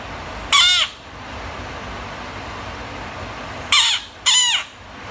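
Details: Screaming frog giving three harsh, raspy shrieks, one isolated and then two in quick succession about three seconds later, each burst brief and grating with a downward-sliding tone, over faint background hiss.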